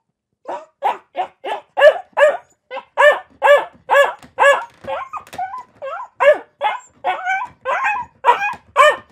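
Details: Rapid, continuous barking from a dog, roughly two barks per second, mid-pitched and harsh, with a few yelping, wavering barks mixed in midway.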